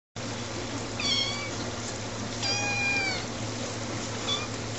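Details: Eleven-week-old kittens named Tiger and Ash meowing: two or three high, harmonic mews, one falling short cry near the start and a longer bent meow mid-clip, over a steady low indoor hum.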